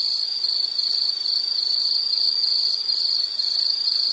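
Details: Insects, probably crickets, give a loud unbroken high-pitched trill with a fine rapid pulse, steady throughout over quiet background noise.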